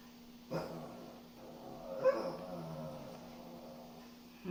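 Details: Dog whining on a cool morning walk, from a multi-dog household with a complaining Shih Tzu and a lively Miniature Pinscher; two drawn-out, nasal moaning whines about a second and a half apart, with a steady low hum behind.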